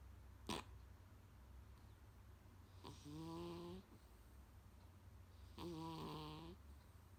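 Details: Munchkin cat Kuu-chan snoring indoors, loud enough to sometimes wake its owner: two deep, nasal, buzzy snores each lasting under a second, about 2.6 seconds apart, after a single sharp click near the start.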